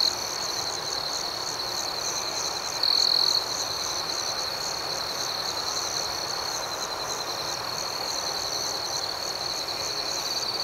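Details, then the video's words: A nighttime cricket chorus forms an unbroken shrill trill with rapid pulses layered on top. One nearer insect rings out more loudly for about half a second near the 3-second mark. "Soothing Cricket Sounds"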